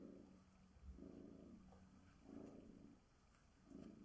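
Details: Bengal tabby cat, female, purring as she is groomed with a glove; rhythmic low purr in clear inhale-exhale pulses roughly every one and a half seconds.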